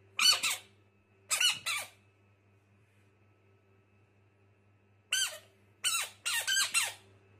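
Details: Frogs described as fighters, screaming indoors in a small room: two short harmonic squealing cries early on, then after a pause a quick cluster of four shrill, bright screams, each under half a second, over a steady low hum.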